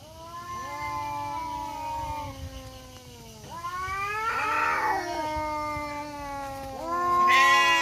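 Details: In a forest in Indonesia, two male village cats, black and striped, keep up a nonstop growling duel; sustained descending yowls, a louder wavering cry in the middle, then a rising wail at the end.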